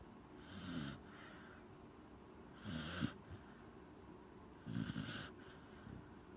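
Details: Sleeping Corgi snoring indoors: three soft, breathy, wheezing snores with a brief snort, spaced about two seconds apart over a low steady hum.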